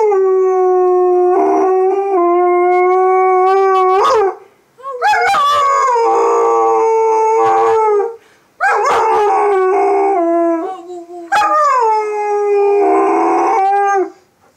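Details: Lola, a female pet dog, howls one morning in drawn-out tonal wails that rise and fall, separated by short breaks, with some strained, rough-edged stretches between the smoother notes.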